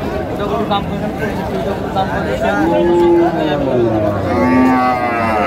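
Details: Cow at a cattle market in Madaripur before Qurbani giving a long level moo, then a shorter lower one, over a steady crowd murmur and bargaining voices.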